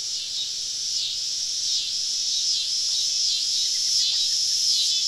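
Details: A summer-evening cicada chorus surrounding campers deep in southern woods: a high, steady buzzing wall with periodic swells, plus a few faint short chirps midway.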